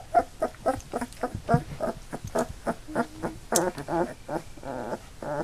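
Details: Eight Labrador Retriever puppies, two days short of three weeks old, eyes newly open and starting to walk, give a rapid run of short squeaky whimpers and yelps, about two per second, with a few longer wavering whines near the end.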